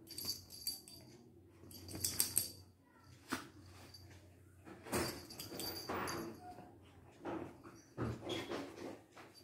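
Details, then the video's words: Two Lhasa Apso dogs, Bruno and Mars, fighting: a low steady rumble runs underneath while harsh broadband snarling bursts and scuffles break out irregularly, with the loudest clusters around two seconds and again near six and eight seconds. "Lhasa Apso:the fight of bruno and mars"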